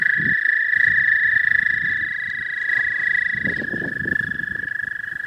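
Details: Spring trilling of an American toad in the southern half of the state: a sustained high, even trill that holds its pitch throughout, over bursts of low rumbling noise at the start and again near the end.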